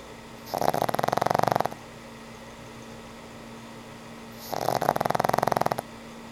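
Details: Frank N. Stein, an old pug, asleep and snoring: two rattling snores about four seconds apart, each a fast pulsed buzz lasting just over a second, with a quiet steady hum between them.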